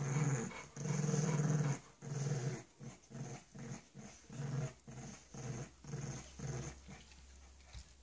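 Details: A bulldog puppy and a pug playing indoors: low rumbling growls in bursts, one long growl followed by shorter pulses roughly every half second, fading toward the end.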